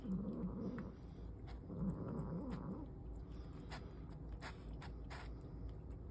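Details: Mum cat that wants her kittens' food makes short, low grumbling growls in two bursts while eating, followed by soft chewing and clicks.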